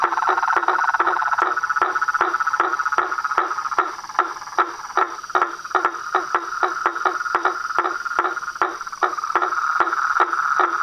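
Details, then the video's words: Frogs, toads and tree frogs calling at nightfall from a pond in front of a house veranda: a dense chorus of steady mid-pitched trills overlaid with sharp clicks repeating roughly every half second. "SONS DA NATUREZA - A SINFONIA DOS SAPOS, RÃS E PERERECAS"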